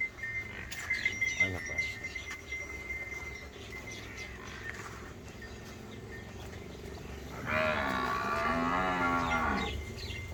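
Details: Nili-Ravi buffalo on a Pakistani dairy farm, August 2023: a short low grunt near the start, then a long, drawn-out harmonic moo lasting about two seconds near the end, over a steady hum and a thin tonal whine.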